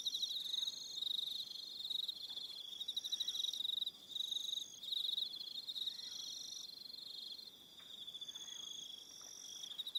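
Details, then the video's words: Evening crickets at Aroha Island, New Zealand: a constant shrill chorus of fast-pulsed trills at high pitch, individual callers starting and stopping in short runs, with a calm quiet background. "Relaxing Evening Sound of Crickets"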